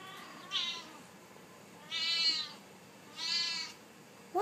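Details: Siamese cat meowing insistently because it wants to go outside in the sun: three drawn-out, harmonic-rich meows about 1.3 seconds apart, each rising then falling, with a quiet room background.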